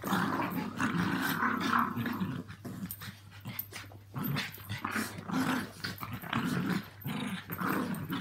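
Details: Walt and Milly, Yorkies aged three and four, and Harvey, a two-year-old Maltese, romp together at home. Throaty play growls rumble in long bouts, broken by a short lull midway, with scuffling between them.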